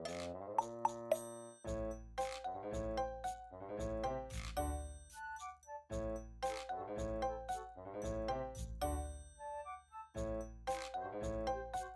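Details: Soft melodic music with bell-like chimes and sustained tones, no animal sounds present.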